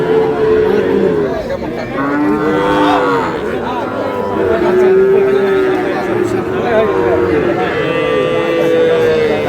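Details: Many Sahiwal cattle and bull calves lowing at a cattle market where a Noakhali farmer shops on 24 April; repeated arched moos, some short and some long, overlap one another, with faint crowd noise beneath.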